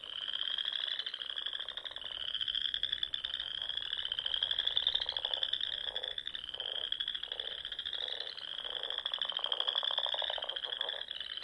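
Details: Dusk frog chorus in spring from the rolling dunes and small ponds of Nebraska's Sandhills: a softer, continuous wash of high pulsed trills, with several overlapping frogs and faint lower croaking pulses underneath.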